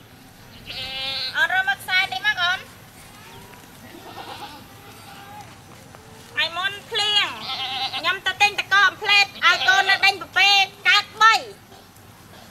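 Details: Goat giving birth at a cow farm, with a newborn baby goat; quavering, wavering bleats come in two bursts, a short run early on, then a longer, denser series of repeated bleats after a quiet gap.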